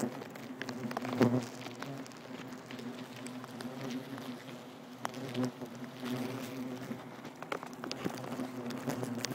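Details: Swarm of bald-faced hornets humming steadily as a nest is removed in Nassau County, Long Island, New York, with a low droning tone, scattered clicks and rustling handling noises throughout.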